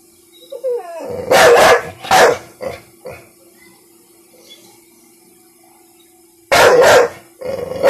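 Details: One-year-old female American Bully, scared and annoyed by a little pink umbrella during play with her owner, giving loud harsh barks in a quick burst, then a pause and another bark, with a steady background hum.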